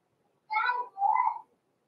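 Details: Blenheim Cavalier King Charles Spaniel puppies born November 14, 2022, Pom-Pom's small litter, indoors in a puppy pen before Christmas; two drawn-out, wavering whining yelps in quick succession, the first higher and brighter, the second lower and steadier.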